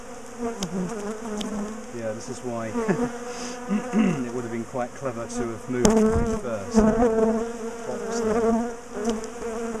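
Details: Agitated bees fill the air while a large colony in a top bar hive is dismantled and moved; an intense layered buzz with rising and falling whines from nearby bees and several sharp clacks of hive parts.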